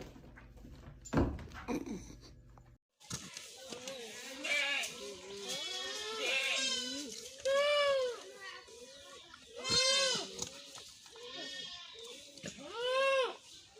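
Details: Goats screaming like humans: after a brief thump and a pause, a series of arched, nasal, harmonic cries swell and fade every second or two, some long and quavering, over a quieter background.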